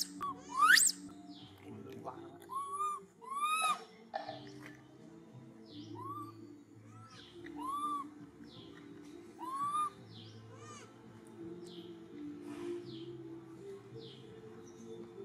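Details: Monkey whistling loudly and urgently after losing his granny for a few minutes, giving repeated high, clear upswept whistles roughly every one and a half to two seconds over a steady low droning background.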